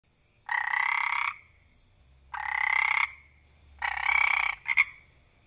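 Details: Tree frog croaking loudly in the wild: three long buzzy rasping croaks, each about a second long with a steady pitch, spaced roughly 1.5 seconds apart, then a short double chirp, over a faint low hum.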